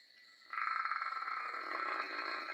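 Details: Fluttery, rasping snore from a dog fast asleep. A quick vibrating buzz begins after half a second and carries on to the end, with a faint constant high-pitched tone behind it.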